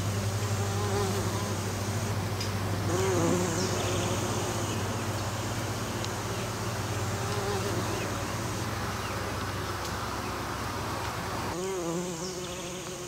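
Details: Western bumblebees pollinating an American Basswood tree; overlapping droning buzzes with gentle pitch wobbles, loudest early and near the end, above a constant low hum that drops away in the last seconds.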